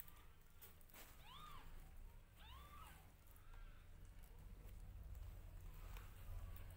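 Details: Newborn domestic kittens meowing loudly while their mother grooms them; two clear arched, rising-then-falling mews about a second apart, then fainter calls, over low rumbling background noise.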